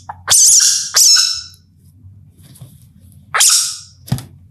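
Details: An Indian palm civet, calling at night, gives three explosive, rasping hiss-screeches a second or two apart, each fading quickly, then a sharp click over a soft low background rumble.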